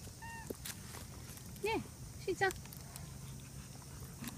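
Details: Shimashima, a striped stray cat that always comes over to join a friendly Siberian husky on its walks, gives a few short, bent meows outdoors with quiet pauses between them. Faint background noise continues throughout.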